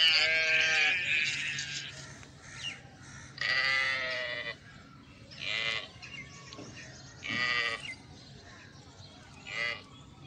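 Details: Mother sheep and her lamb bleating: a loud, quavering bleat opens, followed by several fainter, shorter bleats spaced every couple of seconds, over a low background hum.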